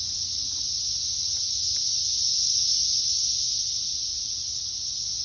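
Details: A dense chorus of Brood X periodical cicadas singing in woods makes a steady, high-pitched, hissing drone that never pauses.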